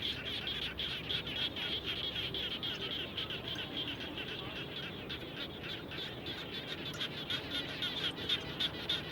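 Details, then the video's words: After rain, frogs around a home call together in a busy chorus of brief, high, rattling pulses, several per second, rising and falling in loudness, over faint low ambient noise. "Natural Sound of Frogs After Raining"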